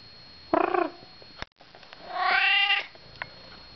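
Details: Domestic cat, a male that often visits an apartment, giving two harmonic meows indoors: a short wavering one near half a second, then a longer, higher, strained meow around two seconds, with a steady background hum.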